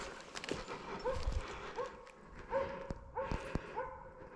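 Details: Slovakian hound baying at a wild boar held in place during a driven hunt with dogs in Sweden, November 2022; rather distant, repeated short barks roughly every 0.7 seconds, with faint rustling and background noise.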